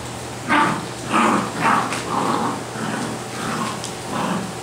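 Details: Basset Hound puppies giving a run of about seven short yelping barks, roughly two per second. The first three are loudest and the later ones softer and muffled, over a steady low indoor hum.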